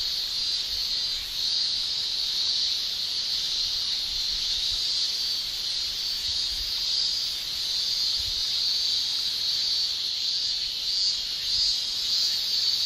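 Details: Summer chorus of male Japanese cicadas producing tymbal song: a constant high, hissing shrill with gentle slow swells in strength and a few faint low thumps beneath.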